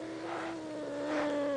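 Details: Blind pet cat being chased by a person, giving a drawn-out, low, steady yowl that holds one pitch with rich overtones and grows slightly louder toward the end.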